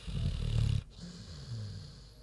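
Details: Big pig Queenie asleep: a single heavy, rasping snore, a loud throaty rattle followed by a brief pause and a lower, fluttering breath out.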